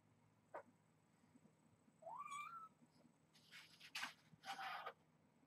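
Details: Rescued kittens at Purrfect Pals, born to a stray mother cat from the Tulalip, Washington area, playing rambunctiously before breakfast while hungry for food; a single brief rising meow, followed by rustling and scratching bursts of play.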